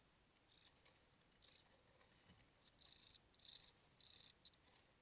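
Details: Cricket. A cricket chirps in high, ringing bursts, each made of a rapid run of pulses. The chirps come in an uneven rhythm, two short ones followed by three longer, fuller trills.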